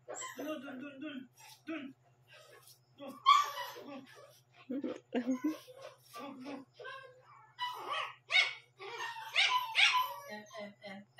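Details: Shih Tzu puppy aged one month and seven days, barking around 12 am indoors; scattered high yips and whimpers mix with human speech.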